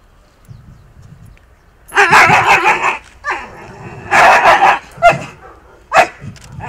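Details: Akita Inu showing aggression with biting during a rehabilitation session between dog and trainer; loud harsh bursts of barking and snarling in three main bouts about two seconds apart, with shorter single barks after, and low background noise.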